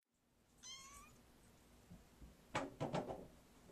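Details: Kittens indoors: one thin, high wavering mew, then a quick run of three soft, broad chirping calls close together near the end, with faint room noise.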